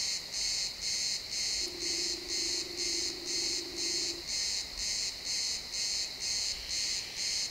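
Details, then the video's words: Crickets in a pine forest at sunset, XY stereo: high, buzzy chirp bursts repeating about twice each second, while a faint steady low hum runs for a couple of seconds partway through. "Cricket sounds in the pine forest"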